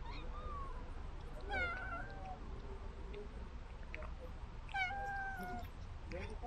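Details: A cat receiving food from a remote-controlled toy car meows twice, each call opening with a sharp rising onset before settling into a level, drawn-out tone, roughly three seconds apart, with quiet background hiss.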